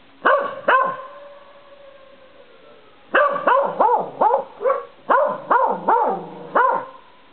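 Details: A corgi outdoors at night under a porch light, barking more than howling, with another dog, Enda, barking behind the front door; two sharp barks, a pause, then a rapid run of about ten loud barks.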